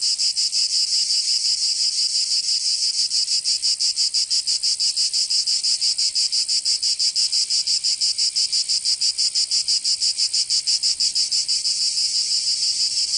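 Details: Cicadas singing in summer in Provence, southern France: a loud, dense, high buzzing chorus pulsing rapidly and steadily, about three beats a second, with no other sounds.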